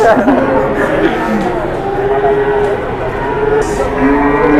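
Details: {'caption': 'Jumbo cattle in Indonesia in the morning, long sustained moos overlapping in a noisy gathering, with people speaking throughout.'}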